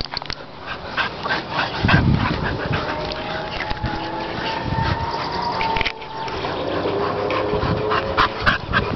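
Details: Three dogs playing together: an 8-year-old male Stafford, an 8-month-old male bull terrier and a 2-year-old female bull terrier. Rough, low growling bursts and panting are mixed with a thin, drawn-out whining tone through the middle.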